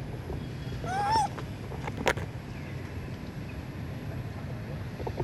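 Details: Sweet Pea, a baby monkey, cries loudly from a tree because it is hungry for milk: one brief shrill whining call that climbs and bends down, followed by a sharp knock and low background rumble.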